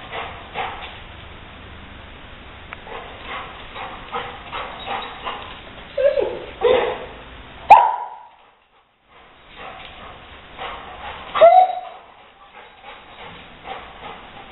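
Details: Rottweiler indoors, confronting a gray squirrel intruder before chasing it out through an open window; a few sharp, irregular barks and yips stand out over low household noise, with a brief silent gap midway.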